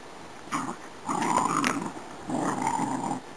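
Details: A Cardigan Welsh Corgi, among five playing at a kennel on 9 May 2008, gives rough, rumbling growls in three bursts during play.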